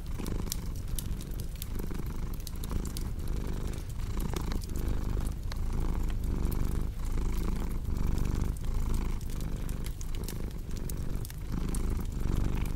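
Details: Long stretch of a cat's rumbling purr, even and low, rising and falling roughly every second with each breath, while a crackling fireplace pops and snaps throughout.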